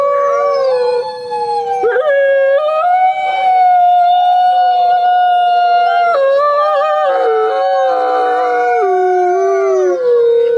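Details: Wolf of the Greenland subspecies, protected and found largely within Northeast Greenland National Park, howling in long level notes with step-like pitch shifts, a higher held tone mid-clip and a lower falling close.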